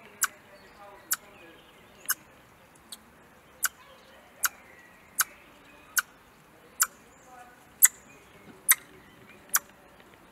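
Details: A hand-reared young Eurasian red squirrel, on day 49, gives sharp, clicking chucks about once a second, an agitated alarm call after seeing a cat in the garden in front of her release aviary.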